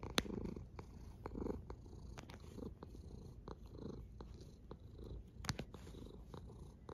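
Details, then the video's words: Cat snoring: soft, rounded breath pulses about every second and a quarter ride on a low rumble, with a few crisp clicks. "A snoring cat"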